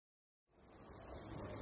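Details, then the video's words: A cricket in a nature park gives a steady, high, thin trill that starts abruptly over a hiss of background noise, then stops. "Cricket chirping, then stops"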